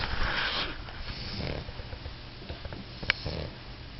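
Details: A four-month-old English Bulldog puppy snores with rough, rumbling breaths and soft snuffles.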